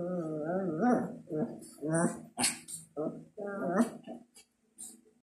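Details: Two playful Shih Tzus, a five-year-old mother and her gray one-year-old daughter, play indoors, giving short bursts of whiny, growling grumbles with rising and falling tones, while a woman tells them to stop and music plays softly.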